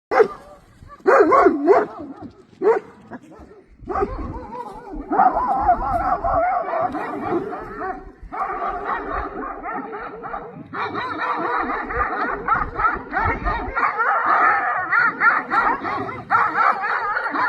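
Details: Several flock guardian dogs attack a horse rider, barking fiercely: short sharp barks at first, then a dense, continuous chorus of overlapping barks and yelps from many dogs.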